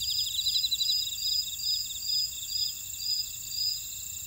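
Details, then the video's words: Buckwheat field insects at Ora-dong, Jeju City, South Korea, producing a dense high chorus: regular short chirps about twice per second over a rapid pulsing trill and steady shrill drones. "제주 메밀밭의 풀벌레 소리"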